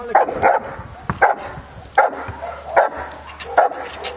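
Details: Aaron, a 14-month-old Cane Corso, barks during IPO training at Cascina Crimea, Cavagliano (Novara), Italy: five loud, deep barks at fairly even intervals over four seconds, with a faint human voice and a low steady hum underneath.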